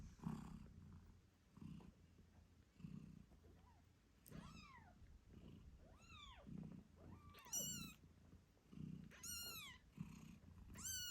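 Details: Moon Stone, a British Shorthair mother, purrs while nursing her eight-day-old kittens. Her deep purr pulses roughly every second, and several thin, arching kitten meows come in the second half, some sharp and high.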